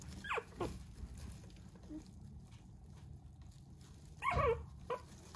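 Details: Small red Maltipoo puppy with a fine coat, offered by a breeder, gives two high whining whimpers that slide downward, one at the start and one near the end, separated by a quiet indoor stretch with a low hum.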